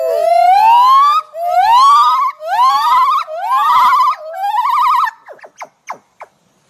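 A gibbon gives loud, rising whooping notes that quicken into a fast wavering trill.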